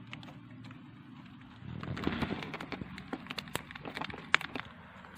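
A hamster gnaws through dry seeds, making brisk, crisp cracks and crackling clicks that come in uneven bursts. A soft low rustle and hum runs underneath the chewing.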